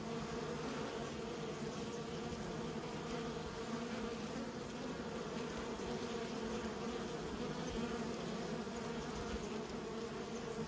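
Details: Raised bees producing a constant colony drone, a low humming buzz with stacked overtones that barely varies in pitch or loudness over ten seconds.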